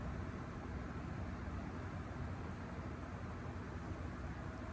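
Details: A steady, even broadband hiss and low hum, like a fan or engine, with no animal voice.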